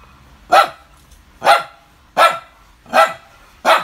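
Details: Chloe, a dog, barking in the morning on 5 July 2019: five evenly spaced, sharp barks, roughly one every three-quarters of a second, in an otherwise quiet setting.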